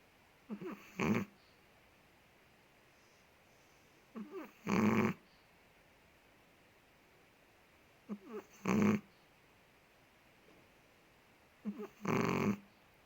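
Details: Big Chihuahua Ted from Indonesia sleeping and snoring: four rasping snores roughly every three and a half seconds, each led by two quick squeaky wheezes on the inhale, the room otherwise quiet.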